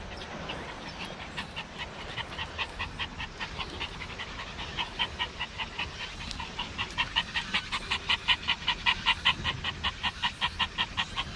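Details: Maltese dog at the sea at Dolmeori Beach: fast, steady, breathy panting, about two and a half pants a second, growing louder toward the end over a low outdoor rumble.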